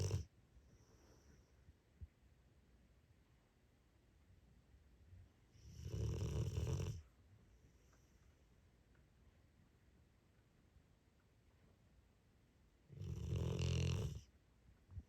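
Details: A tired female Rottweiler snores deeply after a busy day, with two long, rumbling breaths about seven seconds apart.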